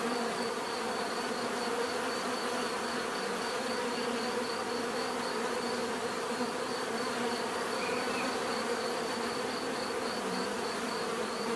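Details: Steady buzzing of bees, a rich low drone of many insects on the wing holding even volume throughout, with a faint high pulsing tone and a brief brighter chirp near the end.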